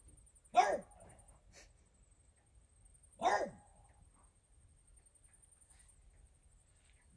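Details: French Bulldog indoors barking at nothing visible, said to be fairies: two sharp single barks about two and a half seconds apart, in a quiet room with a steady faint high electronic whine.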